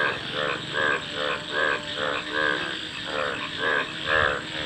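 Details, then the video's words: Several frogs trade harsh, pulsed croaks in a bubbling chorus, swelling and fading roughly twice a second, with a low hum and steady hiss underneath. "Frog Calls | ব্যাঙের ডাক"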